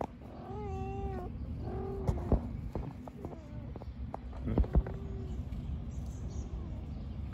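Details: Park-dwelling mother cat beside her kittens, crying in repeated plaintive meows, the first long and steady, later ones shorter and fading, over low outdoor rumble and a few sharp clicks.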